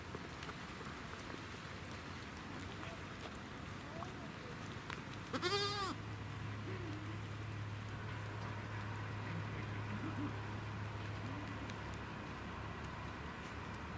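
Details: Young goat kid at Minamigaoka Farm on the Bandai Plateau, met by visitors: one short, wavering, nasal bleat about halfway through, richly harmonic, standing out against a steady low hum and constant background hiss.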